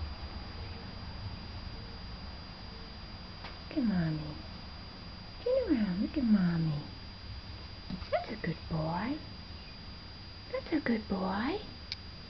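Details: Indoor male pet cat, raised by an opossum and said to quack instead of meow, calling while being cuddled; four short harmonic calls that dip and then rise, spaced a few seconds apart, with soft human voices and a quiet room behind.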